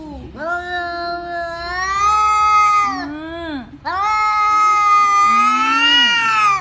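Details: Domestic cat making unusual sounds: two long, loud, wavering yowls, each rising then sliding down at the end with a short low dip between, rich in harmonics and steady in loudness.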